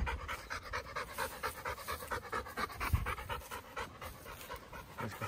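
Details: Chocolate Labrador Retriever panting on a Sunday morning walk: quick rhythmic breathy puffs, about two per second, steady throughout with faint background hiss.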